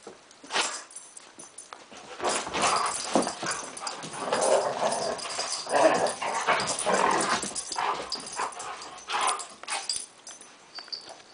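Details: Poodle play fight following a stalk. A quiet start gives way to sustained grumbling growls and scattered high yelps, with bursts of activity and short lulls amid scuffling sounds.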